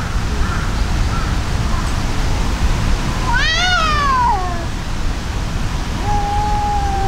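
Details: Fighting tabby cats, one brown-and-white tabby furious at a brown tabby: a loud rising-then-falling wailing yowl, later a long flat whine, over constant low background rumble.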